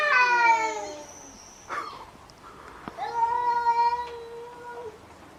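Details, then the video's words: A fighting cat lets out a falling yowl, a short noisy burst, then a steadier drawn-out moan of about two seconds, over faint background noise. "Top 10 merciless Cat fights"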